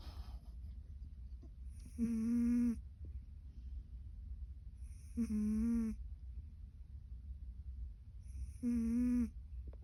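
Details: Snoring domestic cat: three short buzzy harmonic snores, each under a second, spaced about three seconds apart, over a low rumbling background.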